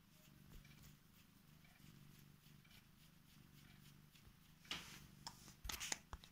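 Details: Female Korat cat climbing into her owner's bed to wake them and show affection; a quiet, steady low purring rumble runs throughout, with louder rustling of bedding near the end.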